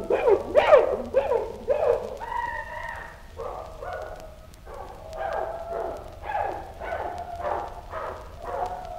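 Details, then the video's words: Chimpanzee grunts and scream: a rapid series of harsh, rasping harmonic calls that rise and fall, loudest and most screaming in the first two seconds, then a run of shorter repeated grunting hoots, several each second. "Chimpanzee Grunts / Chimpanzee. Grunts & Scream."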